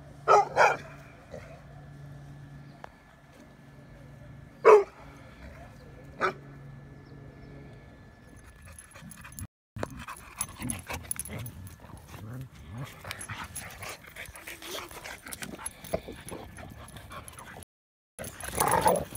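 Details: At a dog park, a Bulldog repeatedly lunges at and challenges Winston, a Mastiff/Pit mix; scattered sharp single barks several seconds apart, then a stretch of rustling, wind-like noise and handling sounds before a final bark.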